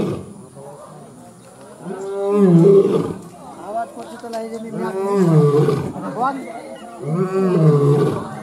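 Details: Lion roaring: three loud, deep, drawn-out roars, each lasting about a second and sliding downward in pitch, spaced roughly every two and a half seconds, with quieter rough sounds between them.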